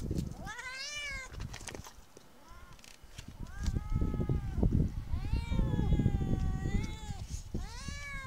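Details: Street cats meow repeatedly, with long wavering meows near the start and a cluster of rising-then-falling cries from four seconds on, over loud low-pitched rumbling and knocking noise.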